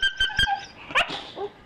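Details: Staffordshire Bull Terrier offered breakfast, giving a few short, high yelps followed by a sharper yip and a softer final squeak, all within under two seconds.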